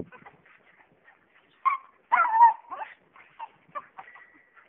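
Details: Jack Russell Terrier dogs playing tetherball give high, nasal whimpering whines and short sharp yips in scattered bursts, one drawn-out whine in the middle and a thin steady whine near the end, otherwise quiet.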